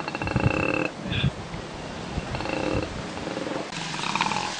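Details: A koala (Phascolarctos cinereus) screams with harsh, rasping, strained, buzzy calls repeated in short bursts.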